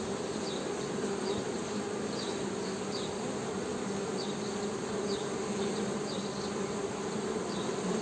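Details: Steady droning buzz of Western honey bees, low and unbroken, with a brighter overtone on top. Short, faint, high chirps repeat irregularly in the background throughout.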